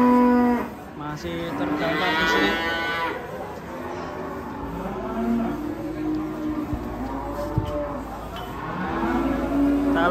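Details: Enraged cow with a rope pulled tight around its neck, a cow that went on to charge an elderly man. Loud, drawn-out harmonic moo opens, then a second long bellow, with low lowing after; voices and music underneath.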